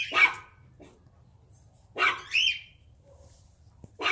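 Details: Excited German Shepherd barking while annoying its puppies: a sharp bark, then a pair of loud barks close together, and another bark at the end, with quiet pauses between and a low background hum.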